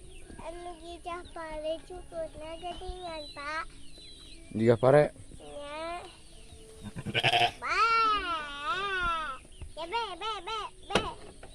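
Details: A sheep bleating with its lamb. Wavering, quavering bleats come in quick series, some short and rising, others long and trembling, with two voices overlapping. Background music plays throughout.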